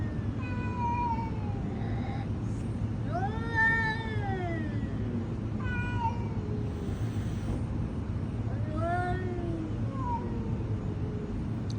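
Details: Cat giving a series of clear meows, roughly four over twelve seconds, each rising then falling. Some are long and wavering, others shorter. A low constant hum runs underneath.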